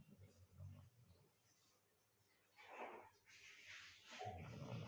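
A sleeping Golden Retriever puppy snores with low, rumbling breaths and breathy, airy exhales.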